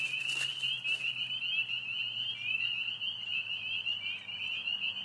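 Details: A dense chorus of spring peepers (Pseudacris crucifer) at a vernal pool in Brecksville Reservation gives high, shrill peeps that overlap into one continuous ringing trill, with a few wood frogs and a whining dog also present.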